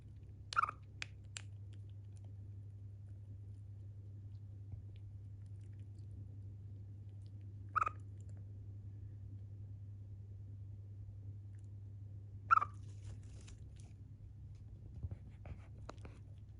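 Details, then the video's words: Pet Siberian chipmunk named Chiro, calling for the first time while yawning and eating indoors; three short, sharp chirps spaced about five seconds apart over a steady low hum, with faint chewing and clicking between calls. "あくびしながら鳴くシマリス・チロ Chipmunk yawning and chirping 鳴き声"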